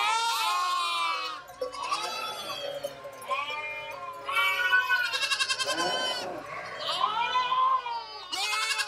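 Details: Goats bleat loudly in a string of overlapping, wavering, nasal calls.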